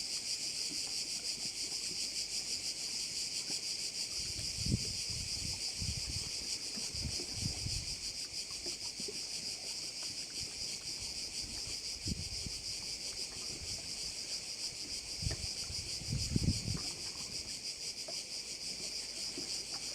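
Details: Seaside chorus of crickets at a Korčula bay, Croatia: an unbroken high shimmering drone with a quick regular throb, while occasional low thuds of wind and water rise underneath.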